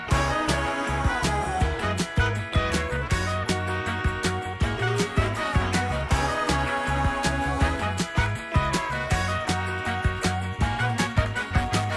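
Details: Funky soul backing music with punchy drums, bass and horns fills the whole stretch; no animal sound stands out.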